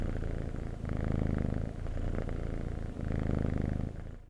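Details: Domestic cat purring steadily in close, low rumbling cycles, each purr swelling for about a second with brief softer gaps between breaths, no other sounds.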